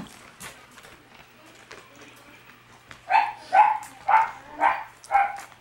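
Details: Red Shiba Inu female puppy born on June 23, quiet at first amid faint voices and claps, then giving five short, high yipping barks in a fairly even series about every half second.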